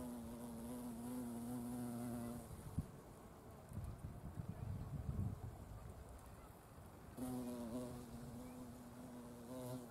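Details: A large wild violet carpenter bee (Xylocopa violacea), possibly, among Buddleia, brown knapweed and sweet pea flowers, gives a low, droning wing buzz at real speed, steady with rich overtones; it fades amid soft rustling, then passes close again.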